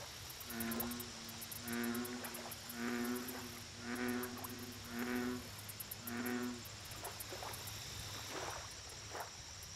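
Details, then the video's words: Lake bullfrog giving a run of five loud, low, humming croaks spaced roughly a second apart, then falling silent while distant softer croaks and insect ticking continue. "Bullfrog Lake Audio Only"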